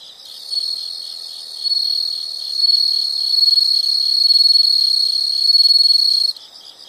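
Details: Insects in a nature recording: a loud, steady high-pitched trill held for about six seconds, swelling and fading in volume, with faint pulsing underneath.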